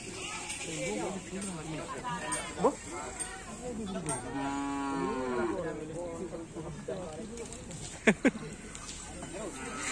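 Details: Bulls of the Griduh Onggu karapan sapi team at practice on Asemanis field in Madura. One clear, sustained moo rises and fades over music, talk, and sharp knocks near the end.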